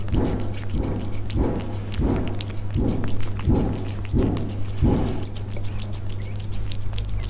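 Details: Close-up eating sounds from Persian cats, with soft rhythmic bursts of chewing or lapping repeated roughly every three quarters of a second, fine ticking bites between them, and a constant low hum underneath.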